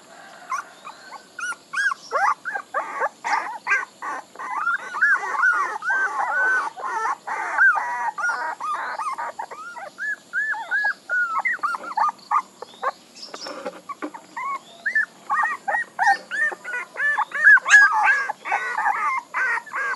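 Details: Puppies whine and yelp together in a steady stream of short, bent, high cries, sometimes pausing briefly, with faint clatter in the background.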